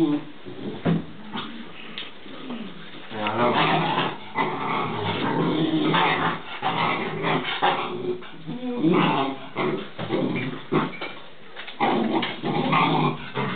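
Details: Alaskan Malamute puppies Danny and Nika, recorded 16 January 2010, keep up busy, overlapping whines, whimpers, short yips and soft rough growls, with people talking in the background.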